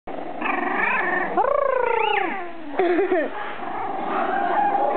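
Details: Border Terrier puppies whining indoors: drawn-out tonal whimpers that slide up and then fall, one long squealing whine in the middle followed by shorter wavering cries, with a soft background hum.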